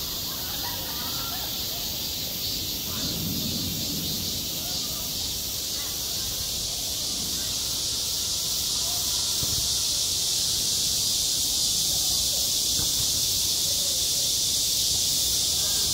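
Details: Summer cicada chorus over a school playground, a steady high sizzling drone that swells slightly toward the end, with faint low rumbles and murmurs underneath early on.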